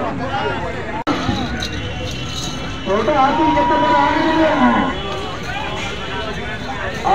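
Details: Murrah breed buffalo, said to give 19 litres of milk, seen in Sri Ganganagar: a drawn-out, low moo with a curving, harmonic tone lasting about two seconds. Vehicle noise and people talking in the background.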